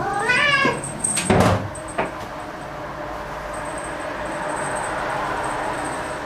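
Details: Momo, a black house cat at home, gets loud and excited after finding an insect: a short rising-and-falling meow with rich harmonics opens the moment, followed by a dull thump, a sharp click, and steady high-pitched whine in the background.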